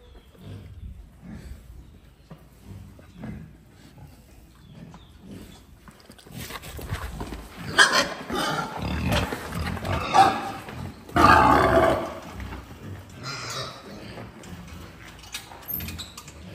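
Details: A male wild boar relaxing during the day at a farm is faint at first, then breaks into loud, rasping grunts and harsh squealing snorts in uneven, overlapping bursts about every second.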